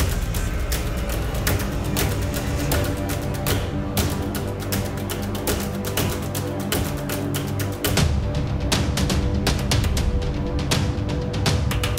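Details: Loud, dramatic soundtrack music with pounding percussive hits fills the whole stretch, and no rattle or other animal sound is heard.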